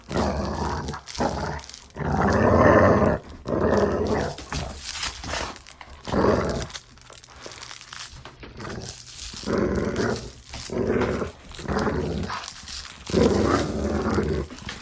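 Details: Dog growling during play, recorded indoors for sound desensitization: rough, rumbling growl bursts of one to two seconds, separated by short pauses and repeated through the stretch, with some crinkling noise in the background.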